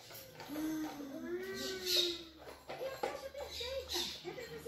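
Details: Xena, a pet Rottweiler wanting to play, indoors; drawn-out tonal whines that rise and fall, the first long and sliding, then shorter wavering ones, with faint household noise and a voice in the background.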